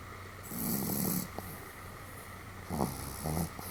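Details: Snoring Pomeranian called Sam, recorded 31 July 2015, a rather hearty sleeper: one long grating inhalation, a pause, then two shorter raspy snorts close together, low steady hum underneath.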